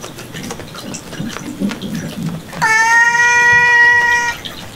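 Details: Cat indoors in a cat room in Japan, among a rescued red tabby and white male kitten named Miel and another cat: one drawn-out harmonic meow lasting nearly two seconds over low room noise and faint rustling.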